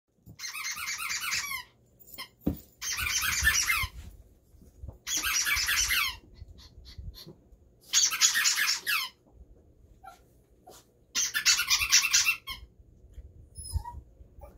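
A toy poodle gives high, squeaky howls in short wavering bursts, each about a second long.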